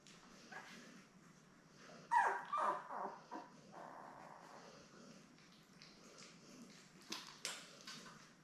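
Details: Newborn Labrador Retriever puppies, a litter of seven born May 24, 2021, with their mother Belle on a live puppy cam on June 3; a few short, high squeaky whimpers cluster mid-way, then a brief squeal near the end, over a quiet background hum.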